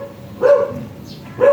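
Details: Shih Tzu dog brought for stud service in San Jacinto, Pangasinan, giving two short, sharp barks about a second apart over a steady low background hum.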